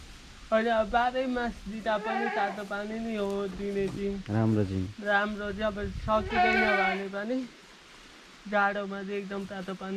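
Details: On a farm in Jhapa, Nepal, a 93% Boer goat bleats repeatedly. The cries are drawn-out, quavering and nasal, with a short low voice heard in between and a quiet pause before a final bleat.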